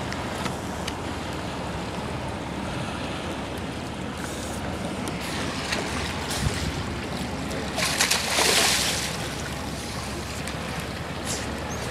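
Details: Constant broadband wash of waves and water traffic fills the recording, swelling into a brief splash near the end. No animal voices stand out.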